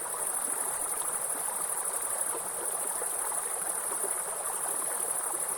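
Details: Forest grasshoppers sing a steady, piercing high-pitched buzz without pause, while a waterfall's constant splashing hiss fills the middle range beneath it.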